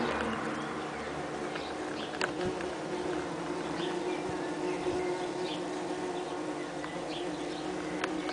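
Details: Saxon wasp (Dolichovespula saxonica) workers at their nest inside a nest box, 30 June 2010, during hot weather, the nest envelope partly perforated for air circulation and cooling; a steady multi-layered hum of many wasps with a few clicks.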